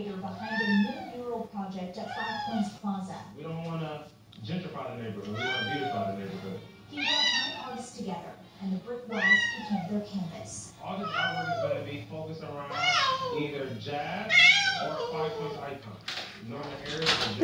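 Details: In a Denver hotel, a 7-month-old blue-eyed white Persian kitten cries over and over for its absent owner in high, wavering mews while a person speaks softly nearby.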